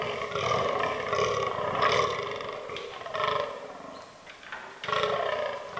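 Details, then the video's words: Rutting fallow deer in an autumn forest: a buck gives a series of hoarse, guttural belches, about five in six seconds, the last after a short lull. "Fallow Deer Rut 2022"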